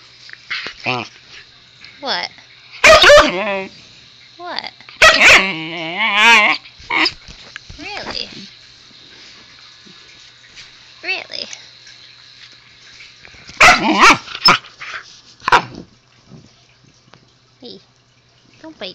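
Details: Husky puppy Zoey chatters at her owner in bursts: short yips and a warbling, wobbly woo-woo, interleaved with the owner talking and asking her not to bite, then quieter rustling.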